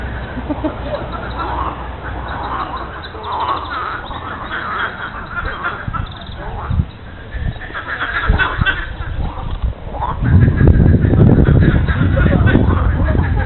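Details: Frogs calling at the lily pond of Monet's gardens in Giverny, France, on a Monday morning in mid-April: a dense, overlapping chorus of quick quacking croaks, swelling louder near the end, with low rumbling background noise.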